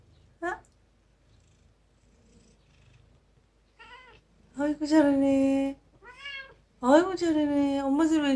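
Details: A cat once feral and now a house cat that follows its rescuer like a mother, meowing what sounds like "eomma": a brief chirp, a soft murmur, then three loud sustained meows, the last long and wavering.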